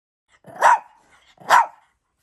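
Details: Shih Tzu named Hanimaru, a pet dog filmed at home in May 2023, gives two sharp barks about a second apart, each a short burst with a bright tonal core, amid an otherwise quiet room.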